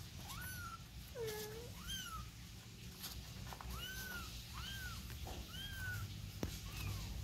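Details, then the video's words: Domestic kitten with its mother: a run of about eight arched, falling meows, some short and one lower and longer, repeated roughly every second, over low background rumble and faint voices. "BABY CAT OUT AND BROUGHT IN WITH MOTHER🐈💝💘#ANIMAL#CUTR CAT MEOWING"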